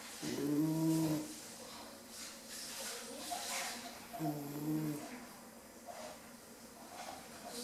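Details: Bambi, a 10-week-old female Rottweiler puppy, asleep and snoring indoors: two drawn-out, low, voiced snoring breaths about three seconds apart, with softer breathing between in a quiet room.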